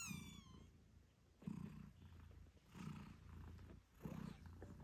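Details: A British Shorthair mother cat purrs loudly to her eight-day-old kittens while nursing. One brief kitten squeak opens, then steady, low, rhythmic purr pulses swell and fade about every second and a half.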